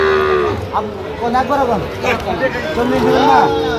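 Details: {'caption': 'Sahiwal bull calves for sale at a Goalabazar market in Sylhet, Bangladesh, on 8 October 2025. A steady moo opens, then short wavering calls follow. Buyers bargain loudly nearby.'}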